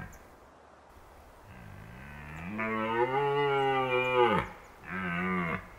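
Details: Red deer stag in autumn at Krasny Bor, Belarus, giving a long, deep roar that builds from a low groan into a loud, rich, rasping bellow lasting nearly three seconds, followed by a shorter second roar.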